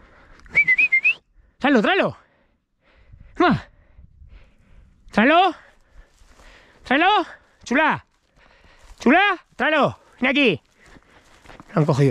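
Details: Podencos out hunting give high, arching yelps in short separate bursts, about nine in all, spaced one to two seconds apart. A brief rising whistle opens the sequence, and faint voices and rustling fill the gaps.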